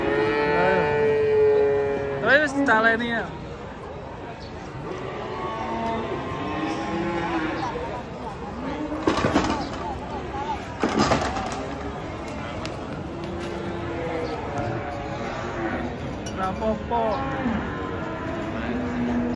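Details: Cattle being unloaded from a truck, one animal trampled by another on the way down. Drawn-out harmonic moos near the start and again around three seconds, then lower, softer bellowing, with human voices and thumping in the background.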